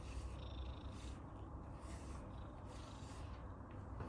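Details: Abyssinian cat purring contentedly while being groomed, a soft low steady rumble with gentle breathing swells roughly every half second, quiet and close.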